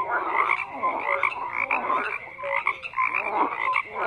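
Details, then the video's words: Frogs croaking in a dense chorus, overlapping rattling croaks and short tonal notes packed between mid and high pitch, pulsing continuously with no pauses and nothing else heard. "FROGS CROAKING"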